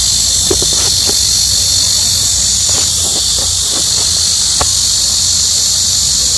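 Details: Cicadas in midsummer heat wave, very loud: a dense, continuous high-pitched buzzing drone, steady in volume, with a few faint clicks and low background hum beneath.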